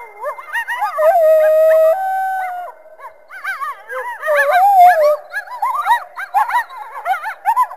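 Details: Coyote calling through the trees on a winter day in a backyard: a busy run of wavering, rising-and-falling yips mixed with sustained mid-pitched howled notes that overlap one another.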